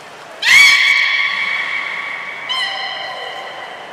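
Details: Belugas Gray, Mirai and Nico during a training session at Port of Nagoya Public Aquarium, 16 December 2018: a bright, harmonic whistle rising slightly and holding steady, then a second fainter tonal note about two seconds later.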